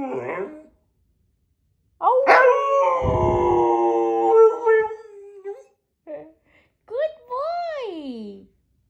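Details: Siberian Husky "talking" in short bursts: a brief opening sound, then a sustained harmonic howl that drifts and wavers, a tiny yip, and a final rising-then-falling arched whine.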